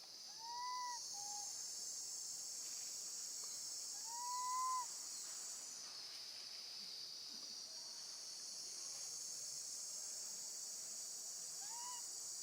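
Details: Baby monkey screaming for her mother after being left alone with her gentle grandmother; three drawn-out, whistled, arching calls that rise then fall, spaced several seconds apart, over a steady high hum of insects.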